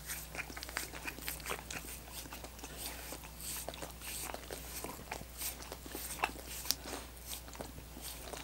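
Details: Several dogs work at coconut water popsicles in a small room, making fast, wet lapping clicks mixed with crisp crunches of frozen ice, the bites bunching into bursts over a faint steady hum.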